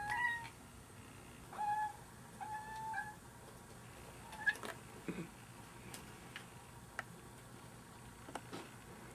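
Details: Short, thin chirps come from cats hunting a fly, spaced a second or two apart early on. Later there are scattered clicks and taps, with the calls fading toward the end.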